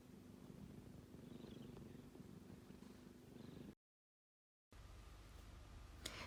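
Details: Sleeping kitten snoring: a soft, low, rhythmic rumble close to the sleeping animal, broken by a brief silence before the rumbling resumes.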